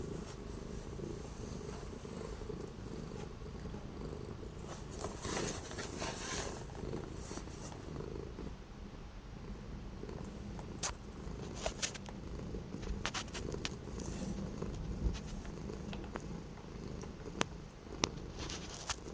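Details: An orange cat, kept in after several days of strong, cold wind, on 12 January 2025, purrs in a steady low rumble throughout, with scattered sharp clicks and soft background hiss.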